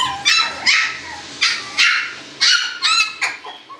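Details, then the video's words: Shiba Inu puppies yip sharply, seven or eight bright, high squeaks spaced roughly half a second apart, each a brief burst that rises then drops, against a quiet low hum. "Chiots Shiba et bruitages"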